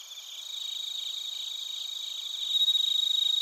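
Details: Crickets, both bell crickets and field crickets, at Narita in Chiba, Japan, recorded with a TASCAM Portacapture X8. High shrill pulsed chirping builds gradually, growing louder and sharper in the final second.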